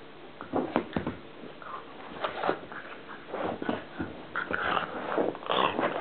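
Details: Columbo the pug playing and making a funny noise: gruff, choppy growls and snuffles building up, with high squeaky whines breaking in toward the end, in a small room.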